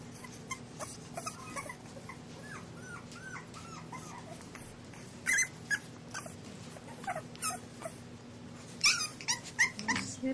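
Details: English Bulldog puppies, Scout and Boss, raised at the Siess Ranch, playing and nipping at fingers on a slippery floor; a run of short, high, curving whimpers and squeaks, with sharp clicks and scuffling noises in between.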